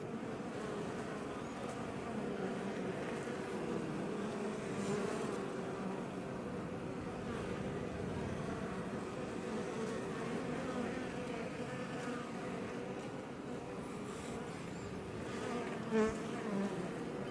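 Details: Outside a Langstroth hive west of Roquetes, South Tarragona, Spain, many Iberian honey bees hum in an unbroken low drone; near the end one bee passes close, giving a brief louder, rising-and-falling buzz over the steady background.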